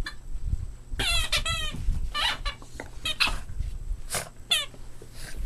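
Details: Boston Terrier puppies playing together, giving a rapid run of high, harmonic squeaky yelps and whines, some rising and falling, with scuffling and thumps of play underneath and a steady low hum in the room.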